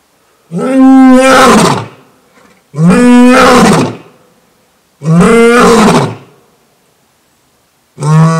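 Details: New male lion at Thoiry Zoo, France, giving a series of powerful roars, four loud harmonic bursts about two and a half seconds apart, each swelling and fading, the last cut short.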